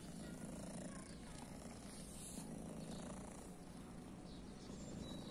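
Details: Steady low purr from a female kitty thought to be deaf, with a blue eye, on a guarded private property, a continuous even rumble with no pauses over a light background hiss.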